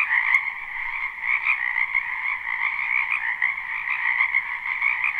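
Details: Croaking frogs fill a spring wetland behind a house in a live recording without looping. Rapid trilled pulses ride a steady two-banded chorus, loud and dense, with brief swells and dips.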